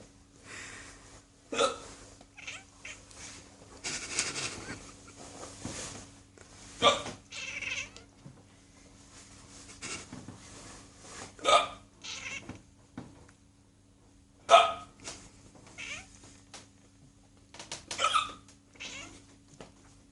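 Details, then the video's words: A domestic cat meows in reply to a person's hiccups: short, sharp meows come every few seconds, alternating with abrupt hiccup bursts and rustling, over a steady low indoor hum. "Cat responds to hiccup meowing"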